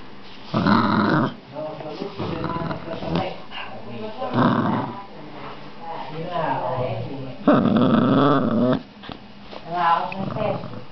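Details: Male whippet puppy, almost 8 weeks old, in a tug-of-war game with a sausage-chain toy, giving rough, throaty growl bursts of about a second, mixed with people talking between them.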